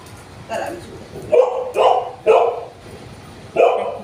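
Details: Golden Retriever barking out of jealousy while another dog is being petted: a few short, sharp, mid-pitched barks in irregular bursts, several coming close together, with people talking in the background.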